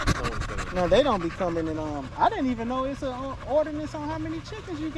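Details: Staffordshire Bull Terrier vocalizing during a long evening at the park with other male dogs: a run of tonal, yodel-like whines that waver up and down in pitch, broken by a few sharp upward-sweeping yelps, with panting between.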